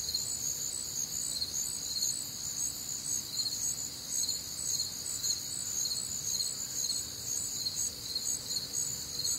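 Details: Many crickets chirp together through a humid Midwestern summer night, high shrill pulsed trills stacked in bands, the strongest band beating in regular bursts roughly twice each second over a quiet low hum.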